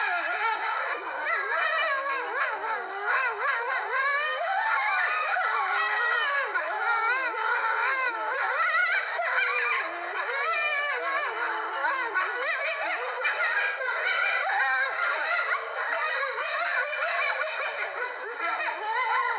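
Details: Several red wolves howl together at sunset in a chorus of overlapping, wavering, sliding tones.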